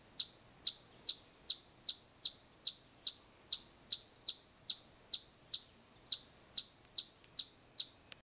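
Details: Loud, piercing chips from a chipmunk, a single high note struck over and over at an even pace of roughly two and a half per second, with no other sounds against a quiet background.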